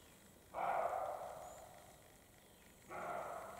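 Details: A European roe deer in the Carpathian mountains gives two hoarse, rasping barks about two seconds apart. A male and a female are barking during the spring mating period.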